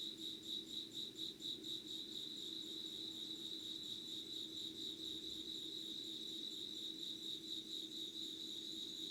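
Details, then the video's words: Insects calling before dawn at 5:00 on 25 August 2019 in Yugawara, Kanagawa, Japan, in an unedited recording. A steady, shrill trill sits high in pitch and pulses in quick regular beats throughout. A faint low hum runs beneath it. "Sounds of insects with candle light.☆ろうそくの灯りと虫の声"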